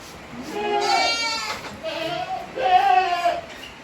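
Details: Tokara goat kids, 18 days old, with their mother on a farm in Himi on 29 April 2022. Two drawn-out, wavering bleats with strong harmonics, about a second each, separated by a short pause.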